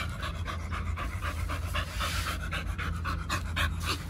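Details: Pit Bulls Oliang and Nomyen, on a Chinese New Year 2020 trip to Dog Space Hotel on a raw diet, pant in quick breathy puffs about four per second, steady and close, over low rumbling background noise.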